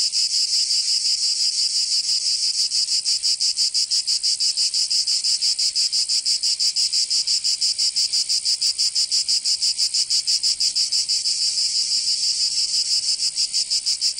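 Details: Cicadas singing in summer in Provence, southern France: a dense, buzzy high-pitched drone pulsing in rapid, steady beats about three times per second, several insects overlapping into a continuous wall of sound.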